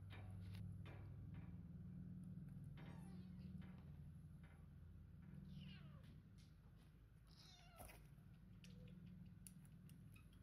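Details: Three-week-old kittens, part of a litter of five born to a rescued cat kept at a family home, give a few thin, downward-sliding meows over a steady low drone with soft rustling.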